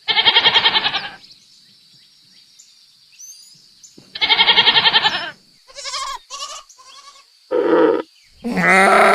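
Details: Goats bleating, with loud harmonic wavering bleats about a second long at the start and again near four seconds, then shorter broken cries and a final rising bleat, quiet gaps between them and a faint steady high hum throughout.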